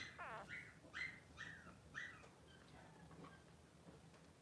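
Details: Three-day-old Blenheim Cavalier King Charles Spaniel puppy in an indoor newborn pen with mother Pom-Pom, giving four short, high, falling squeaky cries about half a second apart, then quieter faint whines.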